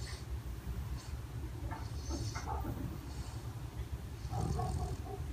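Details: Bulldog snoring while awake, dozing with eyes open; continuous deep, rough low rumbling with rattly breaths and a few brief higher snorty bursts.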